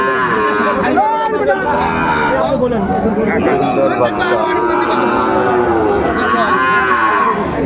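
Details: Moos from Sahiwal bull calves being bought and sold at the start of Ambari market, Dinajpur, Bangladesh, 23 February. Drawn-out, bending calls overlap throughout under a dense murmur of people bargaining.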